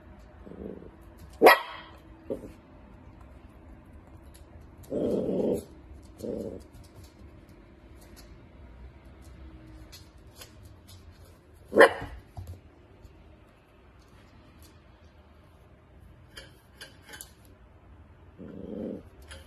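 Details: Dachshund wiener dog barking in spaced bursts: a sharp high bark, a few softer muffled woofs, then another sharp bark about ten seconds later, with faint rustling between.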